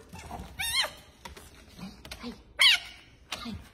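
A fennec fox lets out raspy, high-pitched shrieks that rise and fall quickly, with two loud bursts a couple of seconds apart and softer chatters between. A person's quiet voice is heard in the background.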